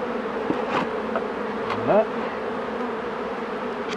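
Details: Honey bee colony humming as the beekeeper handles the hives; an even low drone with a short rising buzz near the middle, as if a bee passes close, plus light taps.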